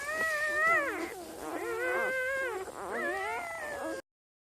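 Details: Newborn puppies lying with their mother, Misty, cry in three long, wavering whimpers that rise and fall like thin howls, each lasting about a second, before the sound cuts off into silence.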